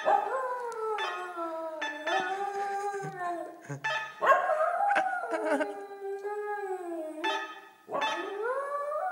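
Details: Howling set off by the doorbell, from Laika, a little pet dog: long sustained wavering cries with downward-sliding pitch, one brief dip in loudness near the end before a final rising wail.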